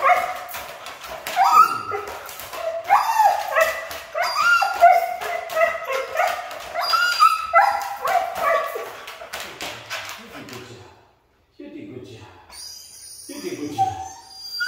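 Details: Siberian Husky. A Siberian Husky produces a run of talkative, moaning whines and short yips, each sliding up and down in pitch. After a brief pause, a few softer whimpers follow alongside a faint high electronic tone.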